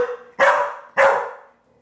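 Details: Pit Bull female being trained to fetch a small wine bottle from the fridge: two loud, sharp barks about half a second apart, each fading quickly, in an indoor room.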